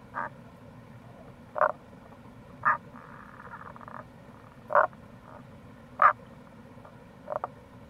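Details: April recording of wild Tago's brown frogs near a gorge on Itoshima's Kamo River, Fukuoka, Japan: short, low, knocking croaks about every one to two seconds and one longer soft grating call, steady stream rush behind.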